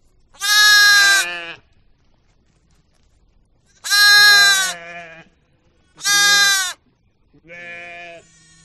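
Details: Sheep bleating in a run of four calls: bright, loud, wavering bleats of about a second each, alternating with quieter, lower-pitched bleats, with short silent gaps between them.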